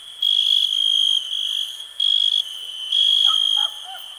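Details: Cricket giving long, piercing trills of about a second, then a shorter burst and another long phrase, part of a calm 2021 nature ambience with a faint background buzz and a few soft lower chirps.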